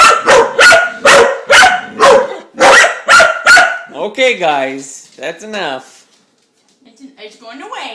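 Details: A pet dog named Mississippi, fascinated by a spinning dishwasher spinner, gives a run of quick loud barks through the first four seconds, then a woman's voice speaks to her over a quieter stretch.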